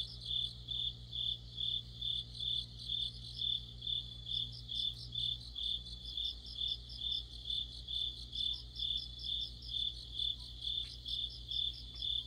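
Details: Mid-autumn insect chorus led by crickets beside a streetlamp: evenly spaced shrill chirps, around two each second, layered with a softer rapid trill and a constant low drone.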